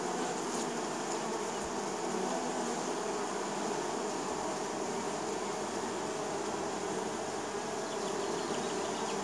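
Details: Neighbour's honey bees in spring, many buzzing as they land at the hive; constant low droning hum with stacked tones, unbroken throughout, one quick sharp fly-past near the start.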